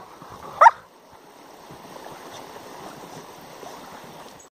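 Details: A Siberian Husky gives one short, sharp yip while two huskies, an adult and a 7-month-old puppy, argue over a digging hole, followed by steady scratchy background noise.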